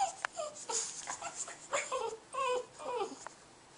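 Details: A Boston Terrier, afraid to take its ball away from a cat, gives soft, thin whines that slide downward in short bursts, while a person nearby quietly urges it on.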